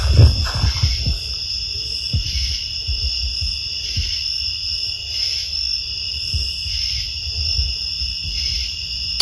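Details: Crickets in Uwharrie National Forest chirp in a steady, high-pitched chorus, audible over buzzing cicadas.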